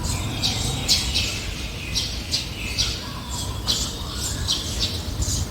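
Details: Brown squirrel guarding its territory against anything crossing its path: harsh, noisy chattering bursts repeated roughly twice a second, set over a steady low rumble.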